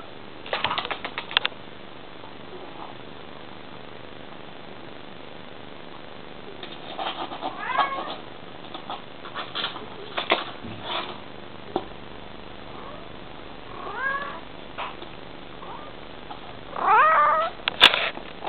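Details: Female Bengal cat talking to her kitten: a few short, wavering, chirping meows spaced several seconds apart, a longer rising-and-falling one near the end, with soft clicks and rustling in the quiet gaps.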